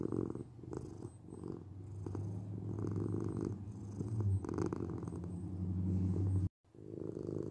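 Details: Deep continuous purring from a domestic cat, a heavy low rumble with little pause between breaths, a brief silent cut near the end before the purr resumes.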